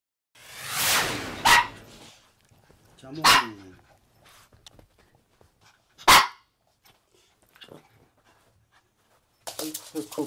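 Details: Maltese dogs at home, three of them (male Jamong, female Fanta and their daughter Blue) sharing a bed: three sharp, loud single barks spaced a couple of seconds apart, with a person's voice and rustling between them.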